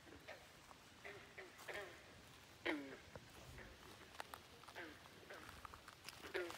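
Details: Frogs croaking at Great Falls National Park in McLean, Virginia: faint, short, clipped croaks with a nasal ring sound every second or so. Some come in quick double notes, with light rustling in between.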